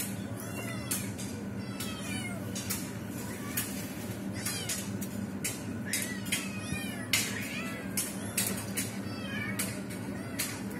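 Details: Mother cat trying to rescue a trapped kitten; repeated arched meows every second or so, some louder and drawn out, mixed with sharp knocking clicks over a low humming background.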